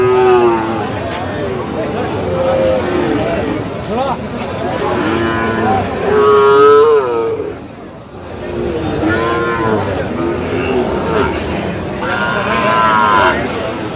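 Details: Sahiwal bull calves at a market on 25 October call several times, producing short nasal moos and one louder, longer bellow midway, heard among buyers' voices haggling over a pair of calves.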